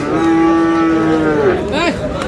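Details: Friesian and crossbred bull calves at Aftabganj haat, Dinajpur, on 29 July. One long, flat, low moo lasts well over a second before sliding downward, while market voices murmur behind it.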